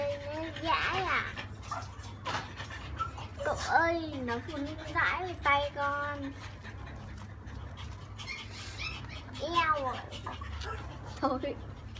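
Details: Female French Bulldog puppy at 30 days old, being bathed to clear crusted buildup, lets out a series of wavering, rising-and-falling whines through the clip, over people talking and trickling water.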